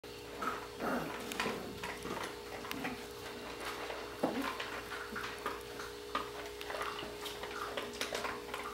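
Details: A litter of Border Collie puppies from the Sissy x Match pairing, indoors, giving rapid high yips and squeals in short overlapping bursts, with a steady electrical hum and a person's voice urging one of the pups on.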